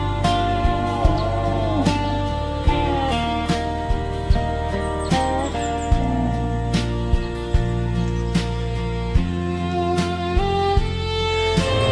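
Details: Slide guitar music with plucked strings and a steady low bass, and no animal voices.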